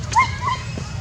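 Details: Baby monkey Julina, badly frightened and clinging hard to its mother, gives two short, high, whistled squeaks, the first slightly rising then falling, the second softer, over a low steady background hum.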